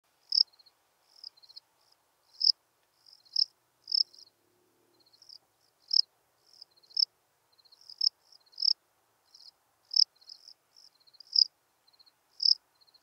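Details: Steppe cricket (Melanogryllus desertus) singing at Breitenbrunn, Austria, on 23 May 2021: short, high chirps in irregular bursts of two or three pulses, louder chirps roughly every second, against a silent background.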